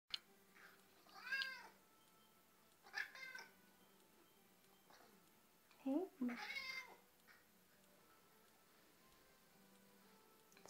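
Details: A 2.5-year-old male cat begs for attention indoors, as he does daily, with four drawn-out, arching meows spaced a second or two apart, the later ones rougher and more insistent, followed by a spoken word.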